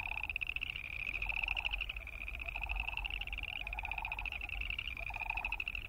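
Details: A dense chorus of boreal chorus frogs gives high, rasping pulsed trills that overlap almost without pause, in a wetland where Wilson's snipe make wing sounds and sandhill cranes call.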